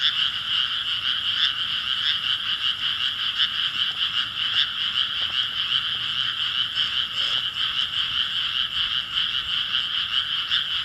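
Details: A chorus of frogs from May 2017 produces a thick, continuous mass of quick croaking pulses, about two and a half per second, with scattered soft thumps in the background.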